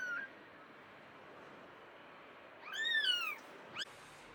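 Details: Abandoned kitten found freezing in snow at -11°C after two days and rescued; one loud high meow rising then sliding down, followed by a short faint second meow, over steady background hiss.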